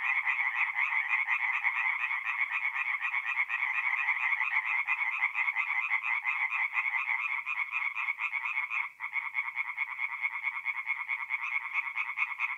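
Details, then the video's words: Night chorus of tree frogs at a forest pond in north-east Italy, mid-April, a steady wall of fast repeated croaks from many frogs overlapping, with a brief dip in loudness near the nine-second mark. "relaxing forest pond by night with singing tree frogs"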